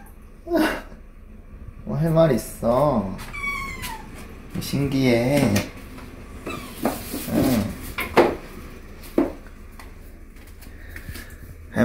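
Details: Chatty indoor Korean Shorthair, a neutered female, in a lively back-and-forth with her keeper over leaking water: rapid strings of insistent, rising-and-falling meows overlapping short human remarks in a small room.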